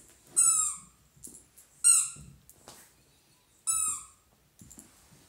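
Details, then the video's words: Excited, happy Dachshund in a small room letting out short high squeaky whines, three main bursts roughly every one to two seconds, with faint shuffling between them. "The Happiest Dachshund Ever"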